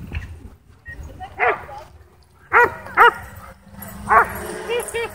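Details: Dogs at a dog park whipped into a frenzy by a DJI Mavic 2 drone; a few sharp harmonic barks spaced about a second apart, with a drone hum and low rumbling in the background.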